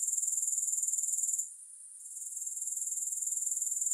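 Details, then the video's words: Grasshoppers heard without music. A bright, high-pitched buzzing trill pulses rapidly and evenly, dips almost to silence for about half a second, then swells back to its earlier level. "Grass Hopper Sounds"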